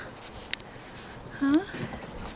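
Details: Six-week-old Cavalier King Charles Spaniel puppy, one of a litter of five romping on a deck with their mother Diva; a short rising whimper with soft overtones, set among a woman's cooing baby talk.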